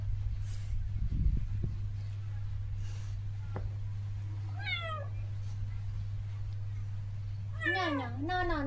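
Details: A pet cat at home, during playful mischief with its owner, gives two clear meows, the first brief and falling, the second longer and wavering, over a steady low electrical hum with some soft thumps early on.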